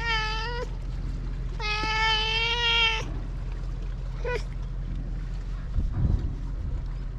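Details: On a cat island, a tuxedo cat walks up meowing as if talking: a short meow, then a long, loud, steady one, then a brief chirpy meow, with a low rumbling background and a faint rustle near the end.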